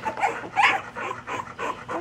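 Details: Layla's puppies: rapid, breathy, noise-like panting bursts, about three per second, steady and rhythmic across the clip, with a faint tonal whine near the start.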